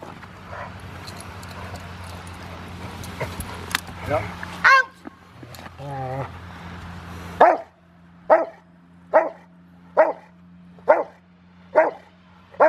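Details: Male Rottweiler River v Schwarzerwald, five years old and preparing for his ZTP in February, recorded January 20, 2020: rustling, handling noise and a brief yelp first, then seven clipped barks in a steady rhythm about once per second.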